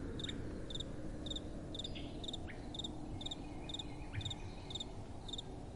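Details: At night, crickets give crisp, high double-pulsed chirps about twice a second, with a few faint lower ticks between them and a gentle wind hiss underneath.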